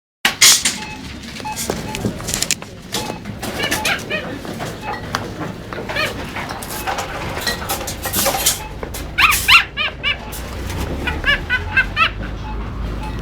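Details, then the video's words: Dog squealing like a duck: short, nasal, squeaky pulses with stacked overtones, in rapid bursts, clustered mostly in two runs late on, with a person talking in the background. "Hund quietscht wie eine Ente / Dog squeals like a duck"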